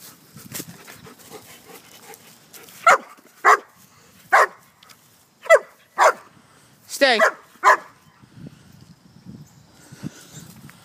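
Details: German Shepherd named Sheba, outdoors in leaves, gives seven short, sharp barks spaced about half a second to a second apart, one a longer wavering bark-whine near the middle, with leaf rustling and a quiet background hiss.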